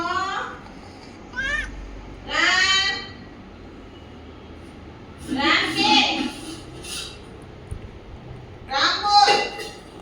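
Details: Household pet cat named Ram, urged to speak and sit for its milk, dated 2/1/2026; short rising-then-falling meows, about two in ten seconds, alongside a child's and adults' voices indoors.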